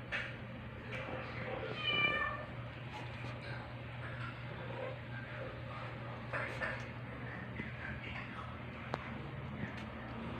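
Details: Aldous, a one-week-old male rescue kitten in temporary foster care, meets nursing mother cat Pepper, a black cat, on 4 July 2022. A single high, harmonic kitten meow rises out of a room with soft human talk and a steady low hum.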